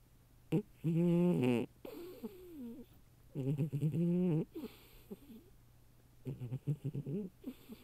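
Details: Female cat sleeping in a cardboard box she prefers to her proper cat bed, her snoring said to match a person's: rough, buzzy snores of about a second, repeated at intervals, with softer wavering breaths between.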